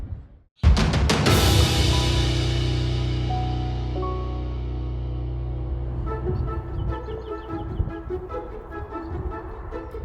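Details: A deep booming musical swell with drum-like hits and sustained tones, no animal calls audible.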